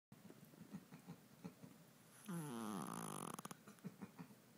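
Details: Stella, a 5 lb Shih Tzu, snoring hard in her sleep after a long day with no naps: one loud, rasping, harmonic snore lasting about a second, then soft rhythmic breathing snuffles in a quiet small room.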